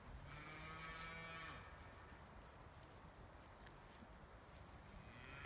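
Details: Scottish Highland cattle, a cold-adapted breed kept outdoors year-round on a Finnish farm, in a forest near a meadow while eating trees and scratching. One low, drawn-out moo of about one and a half seconds, rich in harmonics, then quiet rustling.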